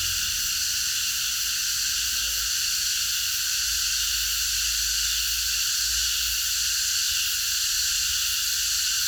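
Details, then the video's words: Cicadas in chorus after dark in a park. The steady, intense high-pitched buzz never varies or breaks, layered in several bands, over a quiet low-frequency hum. "매미들의합창 밤어느공원에서"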